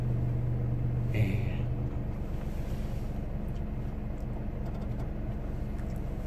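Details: A car engine idles with a deep, steady rumble, and a brief high tone sounds near the start; no animal voice can be picked out.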